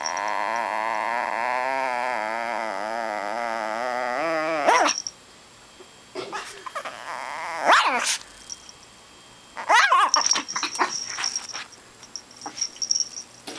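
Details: A fully grown two-year-old female micro or imperial Shih Tzu weighing three pounds, angry after her chicken wing was taken away, gives a long wavering growl-whine for about four seconds, then short sharp yaps separated by quiet gaps.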